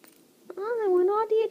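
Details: Affectionate 13-week-old Bengal kitten gives a long, tonal meow that rises, dips and rises again over about a second, ending with a short clipped final syllable in a small room.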